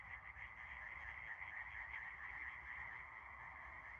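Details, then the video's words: Frogs calling together at night under a starry sky: a dense, continuous chorus of overlapping croaks and trills forming a steady buzzing wall of sound. "Froschkonzert - Das ultimative Quak-Event!"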